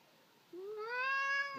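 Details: Irritated Sphynx cat indoors whining because it wants to attack an arm: one drawn-out, harmonic-rich meow that starts low, rises and holds steady for about a second, ending in a short break.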